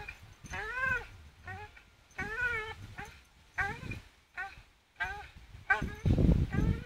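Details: Staffordshire Bull Terrier Charlie hangs swinging on a rope, voicing repeated arched whining cries roughly every second, each rising then falling in pitch, with a low scuffling rumble near the end.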